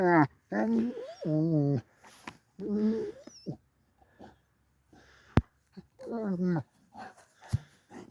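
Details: Doberweiler dog playing with a huge stick and making noises: several drawn-out, whiny, rising and falling vocal sounds in bursts, separated by short pauses, with clicks and knocks from play in between.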